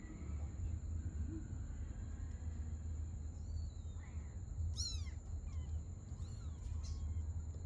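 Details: Domestic cats, a mother and her kitten playing together at night; a few short, high-pitched, rising-then-falling mews come near the middle, one quick cluster of chirpy calls, over a steady low hum and a constant thin electronic whine.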